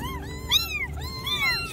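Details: Four abandoned baby street kittens rescued from a trash can cry loudly, with overlapping high, arching meows that rise and fall, some layered over one another, against a low steady background hum.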